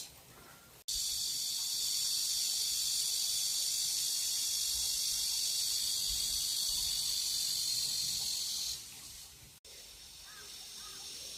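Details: Evening cicada near a country house in Geumnam-ri on Bukhangang-ro, calling before other cicadas as if midsummer had come early: a dense, steady, high hissing drone starting abruptly after a second, holding for about eight seconds, then fading into quieter buzzing.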